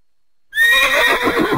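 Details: Horse whinnying: a loud, bright neigh with a high wavering tone that begins abruptly and carries on with a quavering, shaking quality to the end.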